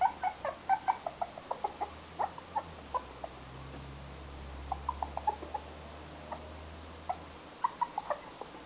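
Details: Toy Poodle puppy making frequent brief squeaky whimpers and yips, clustered at the start and in bursts throughout, over a low steady hum in a small room.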